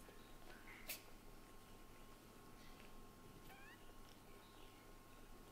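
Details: Kitten Latte, a white-and-brown short-haired male, calls out indoors in frustration as his mother Lulu ignores him; faint short rising meows near the middle, over a steady low household hum.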